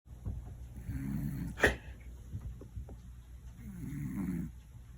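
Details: A one-year-old male Scottish Fold cat napping indoors and snoring loudly: two rasping, low breathy snores about three seconds apart, with a single sharp click between them and a faint steady hum underneath.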